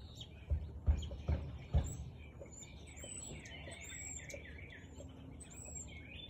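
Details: Four loud, low barks from a Siberian Husky in quick succession within two seconds, recorded 4:17 pm, 13 March 2021, then fading into a background of twittering and whistling birds.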